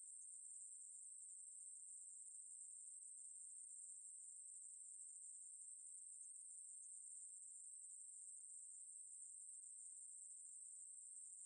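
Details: Steady continuous song of the Ruspolia katydid, maebu-ri, a 2020 National Institute of Biological Resources recording: a shrill, even buzz sustained without pause, high-pitched and unvarying, over an otherwise silent background.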